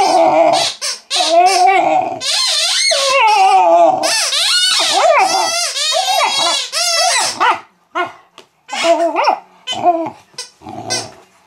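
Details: Female Mastiff puppy indoors answering her squeaky toy with rapid, wavering squeals and yelping whines, a loud sustained stretch in the middle before breaking into shorter, spaced squeaks.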